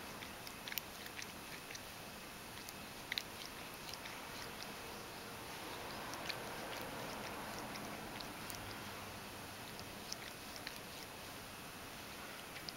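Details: In a kotatsu, Mojio the Ragdoll licks its fur with satisfaction. Faint, sharp tongue clicks come roughly twice a second, unevenly spaced, against constant background hiss.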